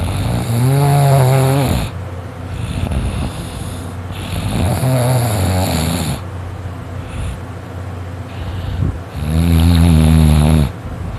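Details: Three loud snores from Dakota, a male dog sound asleep: each is a deep, buzzing, vibrating rumble lasting about two seconds, with quieter breathing between them.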